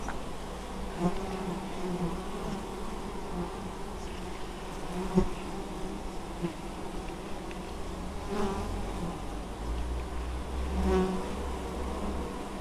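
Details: Honey bees collecting honeydew at an apiary in Moszczanka, Opole Voivodeship, Poland, recorded 19 August 2013; an unbroken low drone of the busy swarm, with individual bees whirring close by at intervals.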